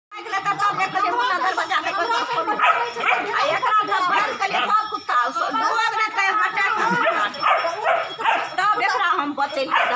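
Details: Two-month-old Rottweiler puppy and two-year-old German Shepherd play fighting: dense stream of rough, harmonic barks, yips and growling noises, overlapping and continuous, with people talking throughout.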